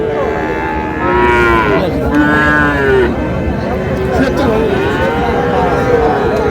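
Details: Friesian and crossbred bull calves at Raniganj cattle market, Dinajpur, on 30 July: deep harmonic moos rising and falling, several close together, over constant crowd murmur and men bargaining over prices.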